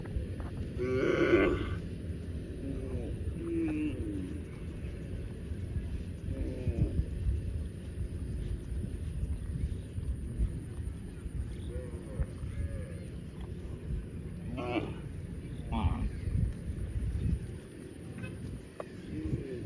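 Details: A cow gives one short, loud, harmonic moo near the start. A steady low rumble and scattered noises fill the rest of the recording.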